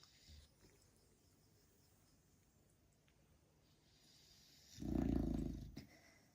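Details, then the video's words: Female beagle snoring loudly: after near silence, a single deep, rough snore swells for about a second near the end, with a faint soft snuffle at the start. "Snoring beagle"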